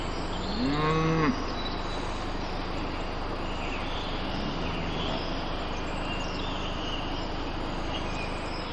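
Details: Cattle in a pasture, filmed from a Mavic Air drone: a single short, low, harmonic moo lasting under a second near the start, then a steady broadband rushing hum of wind and drone noise for the rest.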